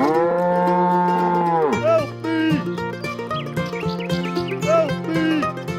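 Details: Sacrificial cattle for qurban being moved for slaughter give a long, steady, harmonic moo of nearly two seconds, followed by plucked string music that carries on to the end.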